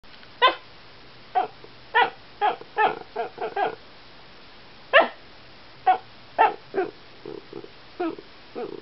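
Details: Year-old Alaskan Klee Kai at home barking at a cat it wants to play with; short, sharp, yappy barks in irregular clusters, some in quick runs of three or four, with pauses between.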